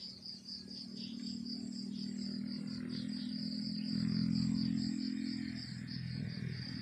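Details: Crickets chirping in the countryside in the morning: a rapid, steady train of high, thin pulsed chirps runs throughout, over a continuous low droning hum that swells slightly midway and fades near the end.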